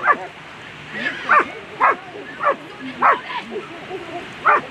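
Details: German Shepherd at a world championship agility final, barking in sharp, loud single barks, about six spaced irregularly over a few seconds, with faint voices in the background.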